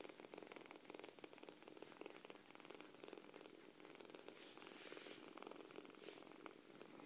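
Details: Several kittens purring: continuous rapid buzzing purr with regular breath-cycle swells, soft and close-up throughout.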